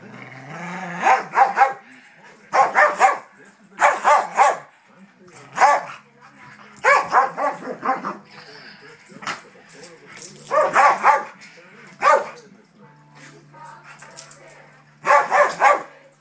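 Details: Daisy, a pet dog who wants to play, pesters her older sister dog, who is having none of it. Bursts of sharp, rough barks come in quick clusters of three or four, with pauses between and a person talking quietly.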